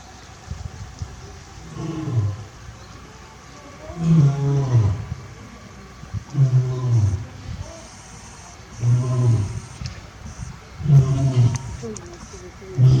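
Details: Captive male lion at Tobe Zoo, Japan, 27 October 2020, gives a low, deep call: about six heavy, throaty grunts spaced roughly two seconds apart, each a short resonant pulse over faint background murmur.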